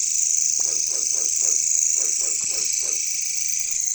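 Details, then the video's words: Jungle chorus of katydids, known locally as caricangkas: a constant high shrill drone, overlaid by a series of about eight short, lower, evenly spaced croaking notes from another animal. "bunyi caricangkas katydids bush crickets"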